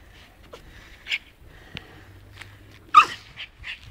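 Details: Scotty, a pet dog, going crazy destroying a snowball: scattered short snorting and whimpering bursts over a quiet background, then one louder squeaky grunt followed by a few brief snuffles.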